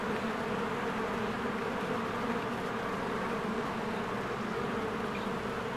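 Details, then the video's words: A swarm of honeybees busy at the entrance of their hive during spring bloom makes a constant, thick buzz, even and unchanging in loudness. "Beehive ASMR"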